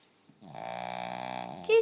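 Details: Blind dog Gizmo asleep and snoring: one long, steady, vibrating snore with a rich harmonic drone for over a second, rippling rapidly throughout, ending as a person's voice briefly breaks in.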